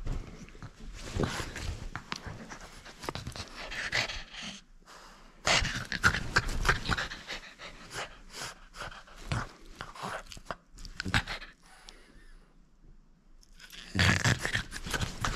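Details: Playful French Bulldog holding on to a toy it will not surrender, with rapid rough snorts and pants in uneven clusters, a couple of short quiet pauses between bouts, in a small room.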